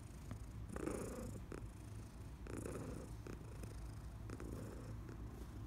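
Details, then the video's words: Senior female cat, adopted from a New York City animal shelter, purring while being rubbed indoors in July 2021: a steady, low, rumbling purr throughout, with soft brushing noises from the rubbing at intervals. "Rubs and Purrs"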